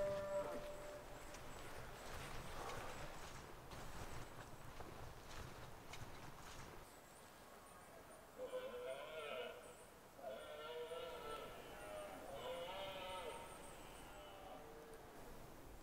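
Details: Autumn rut in the Highlands of Scotland, a red deer stag giving moderately distant, hoarse roars: three rough, harmonic bellows in close succession after a stretch of wind and rustling noise.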